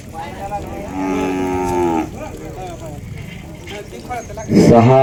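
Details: Khillar heifer at a cattle show in Chimangaon, Koregaon, Satara district, shown in the under-one-year heifer class: one drawn-out moo of about a second with rich harmonics, over constant crowd murmur, ending in a loud burst of voices.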